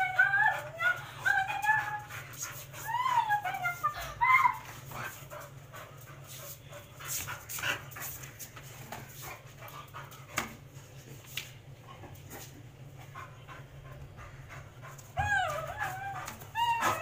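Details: Mr Max, a Labrador, in a dog fight: high wavering whines sliding up and down, clustered in bursts at the start and again near the end, with thumps and scuffling between and a steady low hum beneath.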